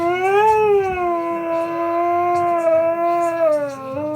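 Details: Siberian Husky during its usual morning discussion, a long sustained howl with a wavering, slightly rising then falling pitch and rich harmonics, sounding like revving a motorbike; faint background noise.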